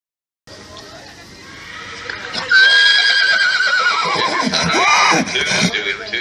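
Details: Horse neighing: after a brief silence, a loud drawn-out whinny starts high, then wavers and slides steadily downward over several seconds with a shaky, quavering quality before fading.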